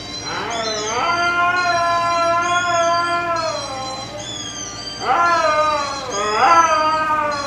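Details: Siberian Husky howling in imitation of another husky: long, drawn-out tonal howls, gently wavering and slowly falling, then sliding up again in two fresh rising onsets near the end, loud and clear over a faint low hum.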